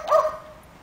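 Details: Dog at an animal shelter, racing around with other dogs, lets out a single short bark: a sharp, tonal yelp that fades within half a second over a quiet background.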